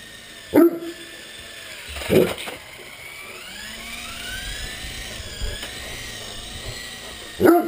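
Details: Three separate deep barks from a Great Dane at play with a radio-controlled helicopter, spaced over several seconds, with the helicopter's motor whining steadily and rising in pitch behind them.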